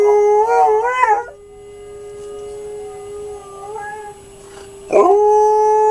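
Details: Alaskan Malamute named Diesel starts with a wobbling, quavering howl, fades to a soft trailing note, then breaks into a loud, steady sustained howl again.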